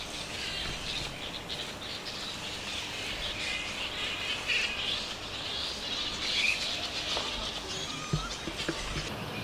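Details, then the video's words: Flying fox colony in Australia, the bats talking to their neighbours and arguing over branch space; a dense, continuous wash of high squabbling chatter with scattered sharper squeals over a steady background. "Anyone who goes anywhere near a flying fox colony, one of the first things they notice, of course, is the noise."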